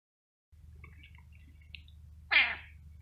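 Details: Domestic cat giving a single short, bright meow about two seconds in, rising then falling, after a faint low hum and a few soft scattered sounds; a person then asks in Spanish what it was.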